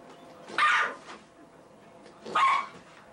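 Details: Small house dog guarding the couch against a Labrador under a no-big-dogs rule, letting out two sharp, loud barks about two seconds apart.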